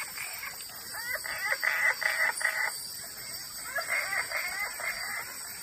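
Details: Wood frogs on the banks of the Claudie River, Iron Range Rainforest, Cape York, give hoarse, duck-like clucking chuckles in quick overlapping bursts.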